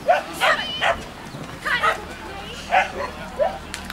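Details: Poodle at a kennel club event in Delft, 19 June 2011, giving short high yapping barks in irregular bursts, with people talking nearby.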